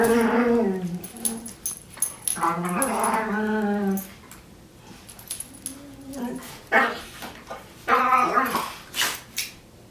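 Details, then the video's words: A brown pet dog makes odd, funny vocal noises: drawn-out whining moans that bend up and down in pitch, in bursts separated by pauses, with some rustling and faint voices between them. "Dog makes weirdest noises ever"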